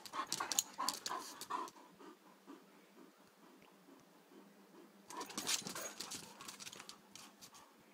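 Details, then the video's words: Connor and Margo, two 3-year-old Irish Wolfhounds, at play: breathy, panting and grumbling bursts come in a lively bout over the first two seconds, fade to quiet, then return in a second rough flurry after five seconds. "Irish Wolfhounds at play"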